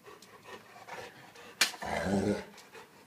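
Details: Alaskan Malamute in a fight: a sharp click, then a brief rough, noisy growl lasting about half a second, with quieter rustling before and after.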